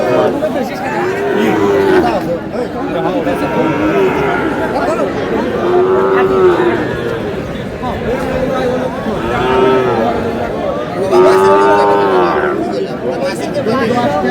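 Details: Sahiwal cattle at a livestock market in Bangladesh, a seven-month-old bull calf among them; low drawn-out moos recur every two seconds or so beneath constant crowd chatter and bargaining voices.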